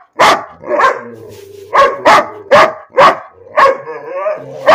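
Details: Dog named Bean barking for no apparent reason: a run of short, sharp, harmonic barks spaced about half a second to a second apart, with whiny tonal sounds between some of them.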